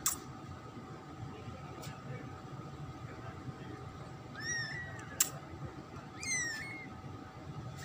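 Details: Newborn tricolor kitten, black, orange and white, the second of a pet cat's litter: two short squeaky mews a couple of seconds apart among soft clicks and room hum.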